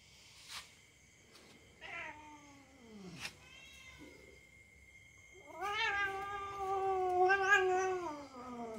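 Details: Pet cat wrestling in play with a young dog, letting out a short falling whine, a few scattered clicks and knocks, then a sustained wavering caterwaul that holds steady before sagging lower at the end.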